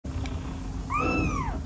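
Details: Kitten playing with a rope gives a single short meow that rises and then slides down, over a steady low hum and a background rumble.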